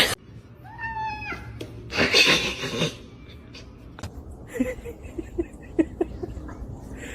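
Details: Kitten meowing indoors: one short, clear meow that falls in pitch, followed by a burst of human voices and scattered clicks and rustles in a small room.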